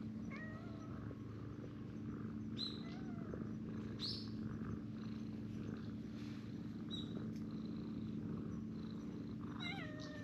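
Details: Outdoor stray cats gathering on a bench to be petted, including a brown tabby-and-white cat; several short rising-falling meows spread through the stretch, with a constant low background hum.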